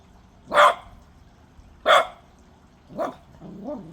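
A Cocker Spaniel puppy gives short, sharp, high barks spaced over a second apart.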